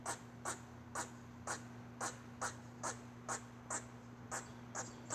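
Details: A squirrel's weird call: a dozen crisp, breathy chuck notes at a quick, slightly irregular pace, each sharp and short, with a faint continuous hum behind.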